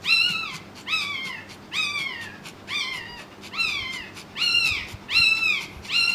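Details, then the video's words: Newborn Pekingese puppy crying while its mother labours to deliver a second puppy; thin, high squeals that bend up then slide down, repeated steadily about once a second throughout. "Pekingese New Born Puppy"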